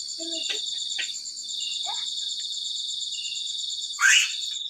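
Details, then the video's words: Continuous high cricket trill in fast even pulses, with a few brief clicks, short voices and one louder burst of noise near the end. "suara jangkrik"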